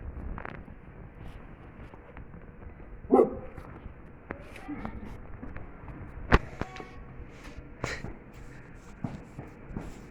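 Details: Sivas Kangal puppy busy with a bone gives one short, harmonic bark near the three-second mark; otherwise quiet, with a few sharp knocks and faint human voices.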